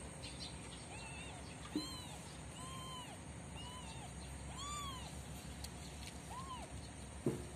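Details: Cats, a mother cat with her kittens during the day: a run of short, high, arched mews, each rising then falling, repeated about every second, over a steady background hiss with a couple of faint clicks.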